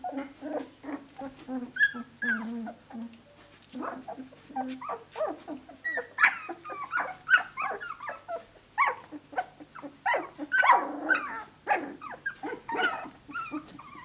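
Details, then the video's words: Australian Shepherd litter at 17 days, pups playing and vocalizing: scratchy low growls, thin whines and brief high squeaks repeated in quick, uneven bursts throughout. "Aussie pups 17 days of age"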